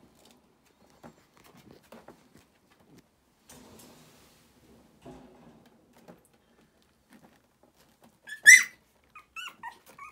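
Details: Four female Shiba Inu puppies, born 30 July 2018, give a sudden sharp squeal, then thin, high whimpers that slide downward.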